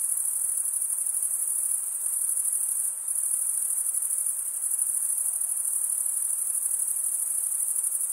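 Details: Crickets chirping through wing stridulation, mostly by males, form a constant thin high-pitched ringing, briefly dipping near the third second before resuming unchanged, with light hiss below.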